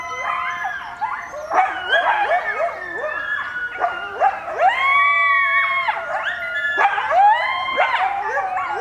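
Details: A coyote family howling in response to sirens: several voices overlap in wavering, sliding howls that rise and fall, broken by quick yips and short yelps, forming a dense, continuous chorus.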